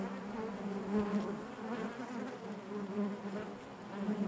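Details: Inside a honey bee hive, an even, murmuring drone of many wings, low-pitched and steady, gently rising and falling in loudness without pause.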